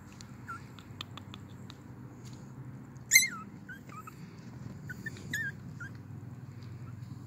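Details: Ice white male Pomeranian puppy in West Palm Beach, Florida, giving thin high squeaky whimpers and curling chirps, with one sharper yelp partway through, over a low indoor hum.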